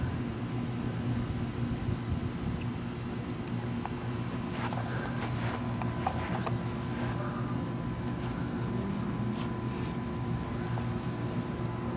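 Steady low mechanical hum, like an engine or fan, with faint clicks and no animal voice.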